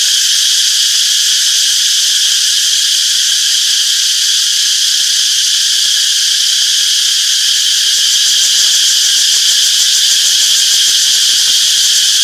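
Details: In a peaceful summer forest, cicadas keep up a steady, shrill electric-sounding drone, densely layered and uniform in volume, without gaps or other animals.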